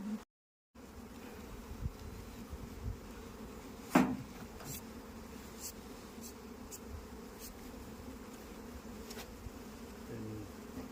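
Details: Hive hum from honey bees kept on an Indian beekeeping farm: a continuous low drone after a brief silent gap, broken by one sharp knock and several faint clicks.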